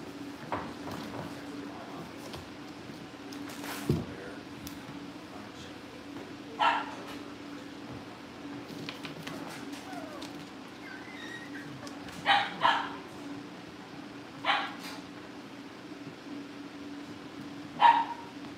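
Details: Cavalier King Charles Spaniel puppies in a family home kennel, filmed on a livestream before family pick-ups; short, sharp yips and barks come every few seconds over a steady hum, with faint murmur in the room.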